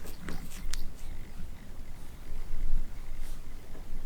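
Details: Kittens melting with contentment on a warm heated carpet for the first time, purring indoors: a soft, low, continuous rumble that swells and fades in slow breathing cycles, with a few faint clicks and light rustling.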